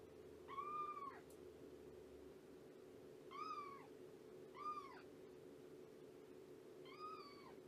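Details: Shelby, a domestic cat estimated at two years old, rescued with her kittens and now at Purrfect Pals, on a morning visit: four arched, harmonic-rich meows spaced a second or two apart over a steady low hum.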